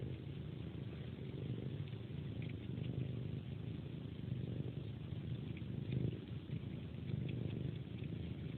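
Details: Pet cat at its bedtime ritual, sucking on a person's hand like a pacifier while purring: a steady, soft, low rumble runs throughout with faint wet suckling sounds layered on top, quiet indoor setting.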